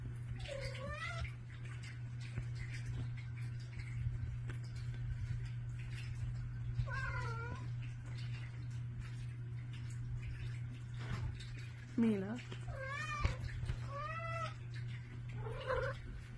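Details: Pet cats indoors in the morning, running to a bedroom door asking for food: about six drawn-out meows, each rising then falling, scattered over sixteen seconds, with a steady low electrical hum and faint household rustling.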